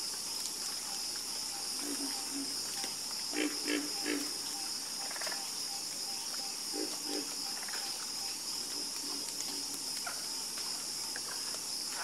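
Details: Harmonious frog croaking: low, rasping calls grouped in brief runs of two or three, separated by quiet stretches, under an unbroken high insect whine.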